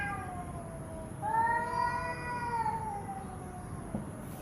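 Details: Angry domestic cat uttering one long, drawn-out meow lasting over a second, steady then slowly falling in pitch, followed by a faint click; low background hum.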